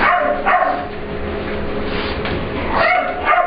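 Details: Ester, an English Bulldog/Pit Bull puppy, plays with Layla, another dog, in a grooming room at work, making sure Layla knows the room is hers. Two sharp, high yipping barks open the clip, then a quieter stretch before more yips near the end.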